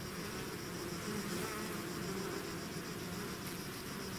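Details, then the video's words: Bees swarming out of their hive make a thick, continuous drone, many overlapping wingbeats blending into one even hum with a faint high hiss above and no pauses. "bees therapy swarm natural buzzing sound"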